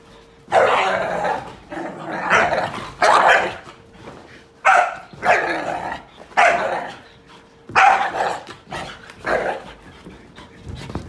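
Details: Repeated harsh barks from whippets, about nine loud bursts spaced roughly a second apart, following a person's short exclamation, with a low constant hum in the background.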